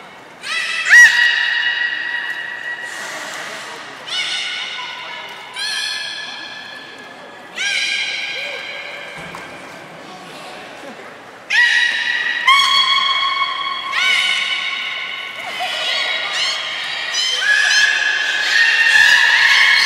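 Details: Beluga at the Port of Nagoya Public Aquarium during a public training session, 4 November 2018, 16:00 show: a series of short, bright, harmonic-rich tonal calls in bursts several seconds apart, some sliding, with hall echo.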